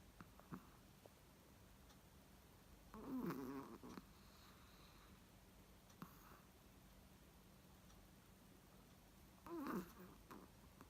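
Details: A Chihuahua asleep, wrapped in its favourite pink sheep sweater, snores softly: two short snuffling snorts about six seconds apart, with near silence between, in a quiet room.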